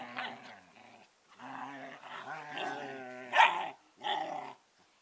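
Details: Two eleven-week-old Collie puppies 'talking': long harmonic growly moans that rise and fall, a sharp louder yelp just after three seconds, then one more grumbling burst, recorded in a small indoor room.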